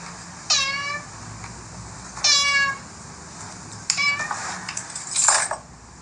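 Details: Cats and kittens meowing: two sharp, high meows with downward-sliding overtones, followed by softer, scratchy calls and rustling near the end.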